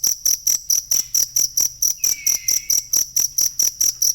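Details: A cricket chirps in a shrill, regular rhythm, roughly four pulses each second, in a genuine recording for teaching songbirds. A single faint descending bird whistle passes midway.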